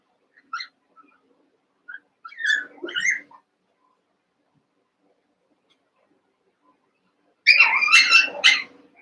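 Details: Playing Cavalier King Charles Spaniel puppies, eight together in a pen, wrestling: scattered thin squeaks early on, then a shrill, rapid cluster of high-pitched yelps and squeals near the end.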